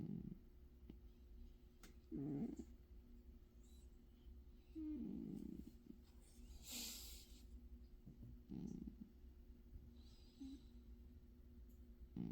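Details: Cat asleep and snoring: low, throaty rattling breaths recur about every three seconds, with a brief faint higher rustle between them and a steady background hum.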